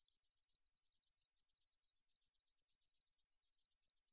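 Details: Katydid known in Korean as 등줄어리쌕쌔기, recorded in 2020 by Korea's National Institute of Biological Resources: a rapid train of very high, buzzy, hissing pulses, about eight per second, steady throughout, with no other sounds.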